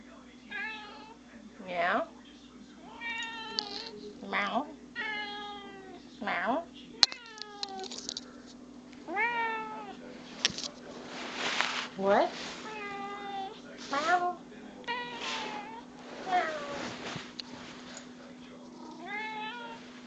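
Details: Domestic cat meowing because it wants attention: about ten loud, drawn-out meows, some rising then falling, come at irregular intervals of one to two seconds. A person speaks briefly and music plays faintly beneath.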